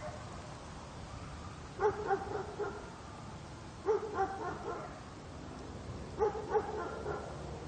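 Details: Dog barking outdoors, a distant spot recording: three short bursts of two or three quick barks each, roughly two seconds apart, over a steady low rumble of outdoor background noise.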